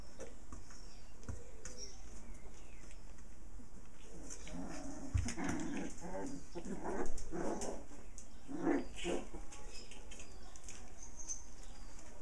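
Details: Six playful puppies with their mother dog, romping together: scattered short yips and growly grunts bunch up in the middle seconds, with one louder burst near seven seconds, over a steady low background hum.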